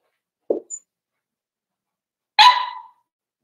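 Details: A brief, low, muffled grunt, then a pause and a single loud, shrill yap from a four-week-old Cavalier King Charles Spaniel puppy in Daisy's litter, in an indoor pen.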